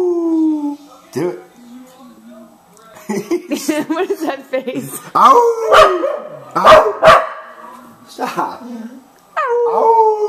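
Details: Divot, a Cardigan Welsh Corgi, sings along with a man: drawn-out howled tones gliding slowly downward, broken by sharp yips and bark-like bursts, with a human voice mixed in between the howls.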